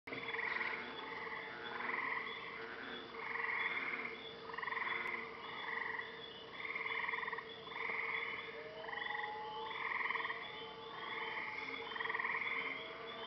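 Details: Frogs calling at night at a lake in Maine: a dense chorus of pulsed, buzzy trills rising and falling in bursts roughly every second, with a steady low hum underneath and faint sliding whistles in the background.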